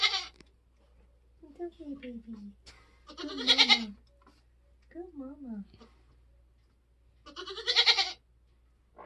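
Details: Nigerian Dwarf goat mother delivering kids on a homestead: two loud, rasping, wavering bleats mixed with frequent low human talking between the calls.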